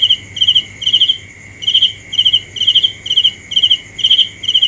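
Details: A cricket gives rapid bursts of bright, pulsed chirps, around nine, with a brief pause midway, while a steady high ringing drone and a soft low hum continue underneath.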